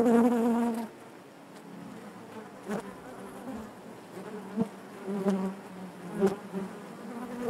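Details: A loud close buzz opens, then a quieter steady hive hum of many honey bees, broken by several short louder bursts and faint clicks as bees move near.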